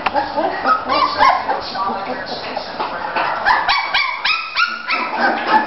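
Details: Three-week-old Bulldog puppies, males and females in Florida, playing and moving around: high, tonal yips and whimpers overlap, with a quick run of short, sharp yelping barks in the second half and faint rustling beneath.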